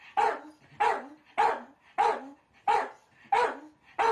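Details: A male Miniature Dachshund named Kuu reacts indoors to the sound of his beloved squeaky toy on television with seven loud, clipped barks, one roughly every 0.6 seconds.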